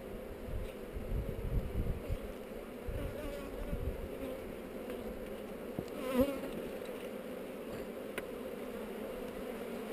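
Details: Honey bees on heather during a hive inspection, captured by a GoPro: a loud, steady buzzing hum of a mass of bees, with a single bee whining close past midway and light clicks of handling.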